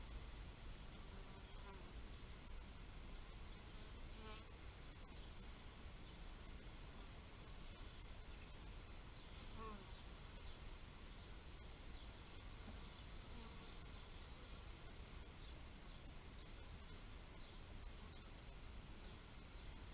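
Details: Bee buzzing in brief low humming passes that swell and fade several times, set against a steady broadband outdoor hiss with faint high chirps of small birds.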